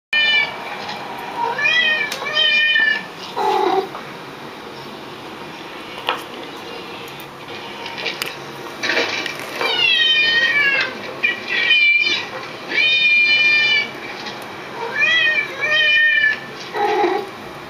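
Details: Pet cats reacting to other cats' meows by meowing along: several clear, drawn-out, rising-then-falling meows in bursts, some sharp and bright, others lower and shorter, with quieter gaps between.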